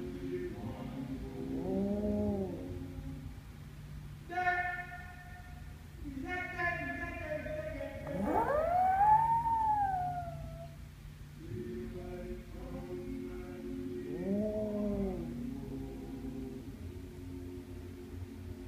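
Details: A house dog joins in with the Day-O Banana Boat song, producing long steady howls then a rising, bending siren-like wail, with music continuing between the howls.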